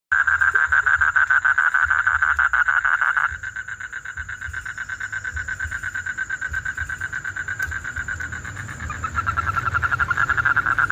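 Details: Frog song: a rapid pulsed trill at a steady mid pitch, loud for the first three seconds, then quieter and rising again near the end, with a faint steady high tone behind it.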